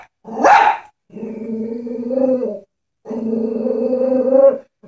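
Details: Chihuahua facing a stuffed toy horse it fears: one sharp bark, then two long, steady, tonal growling whines, each lasting over a second.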